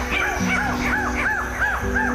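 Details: A ring-tailed lemur (Lemur catta) in the wildlands of Madagascar gives a quick series of arched, rising-then-falling yelping calls over background music.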